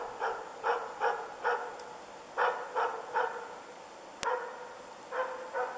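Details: Ukonvuoren Diesel, a dog in moose training, barks rapidly at one of its first moose contacts: clipped, ringing barks roughly every half second, with a brief pause mid-sequence and a single sharp click.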